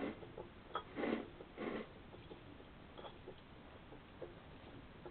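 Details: Hedgehogs scrapping at night in June 2020, one attacking as the other rolls head over heels; two strong, rasping huffs in quick succession early on, followed by faint clicks and rustles.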